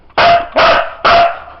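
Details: Sizara, a Siberian Husky trained to count, gives three strong barks on cue, evenly spaced roughly every 0.4 seconds, loud and slightly rough-edged, in a quiet room.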